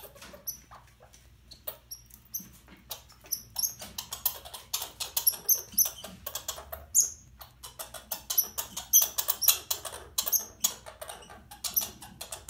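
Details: Overwintered young female red squirrel, angry at being handled while moved to a bigger cage before release: short high thin squeaks scattered among dense rustling and scratching clicks.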